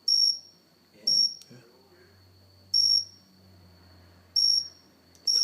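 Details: Cricket on a house plant indoors repeats short piercing chirps, five in quick succession, alongside a few sharp clicks, a low hum and a man talking quietly.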